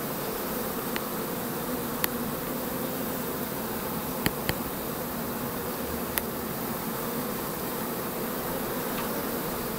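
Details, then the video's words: Foraging honey bees in spring, 4 May 2013, dry weather with cold nights as the main nectar flow starts; steady, thick buzzing drone of many bees with a few faint clicks. "Trachtflug am 4. Mai 2013"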